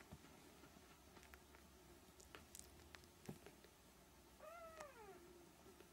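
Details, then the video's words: Siamese kittens, three weeks old, inside a small room; after several seconds of soft rustles and taps, a single thin, wavering meow arches upward and then falls away near the end. "Siamese kittens (3 weeks)"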